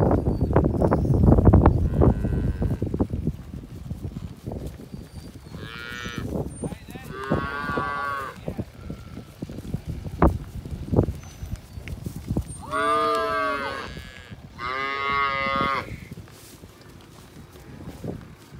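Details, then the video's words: Hereford cattle calving, in calf to registered Brahman bulls; four drawn-out, strongly harmonic moos come in two pairs, midway and near the end, over steady knocking and rustling noise. "Powerful Herefords Calving to registered Brahman Bulls"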